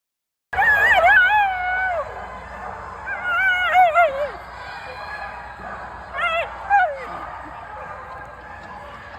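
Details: Feta, a dog watching flyball, making herself heard with long wavering high whines that bend up and down, in bursts near the start, middle and around six seconds, over a low steady background hum.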